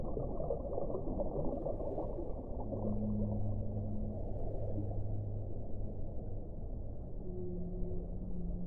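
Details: Low whale moans, long level tones held for a few seconds and then a shorter, higher tone near the end, sitting in thick low-pitched watery rumble.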